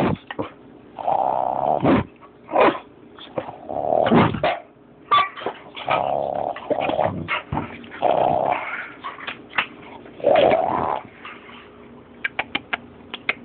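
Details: Boxer puppy growling in repeated throaty bursts of about a second each, broken by short yips and sharp barks, with scuffling and clicking knocks between vocal bouts and a run of quick taps near the end.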